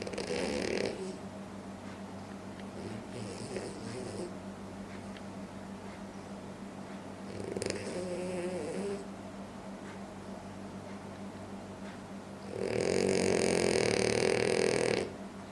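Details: Sleeping French Bulldog snoring loudly: four raspy, breathy snores spaced about three to four seconds apart, the last one longest and loudest, over a steady low hum between breaths.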